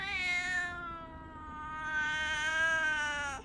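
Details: Domestic cat talking to its owner indoors in the morning: a long, drawn-out meow in two swells, the first dipping and fading, the second rising louder then sliding down. Calm room with no other sounds.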